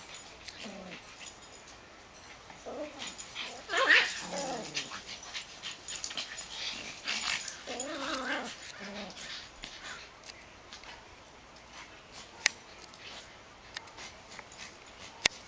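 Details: Backyard play between Max, a black dog, and a smaller dog named Ewok. Several short, wavering growl-like vocalizations come in bursts over the first nine seconds amid scuffling and rustling, then the scene quiets with a couple of sharp clicks.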